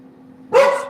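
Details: A dog lets out a single loud, sharp bark that breaks in suddenly and fades quickly, right after a person asks whether there is a squirrel; a steady low hum runs underneath.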